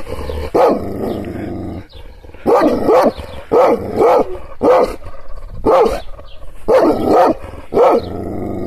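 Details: Kangal guard dog barking in anger after being provoked with gestures: a steady run of powerful, hoarse barks, close to one per second, with low growling in the gaps.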